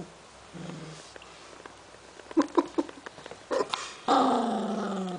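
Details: An 11-week-old Cavalier King Charles Spaniel puppy is protective of a newly found snack. A few sharp clicks and taps lead into a sustained, harmonic growling whine that slowly falls in pitch at the end, indoors.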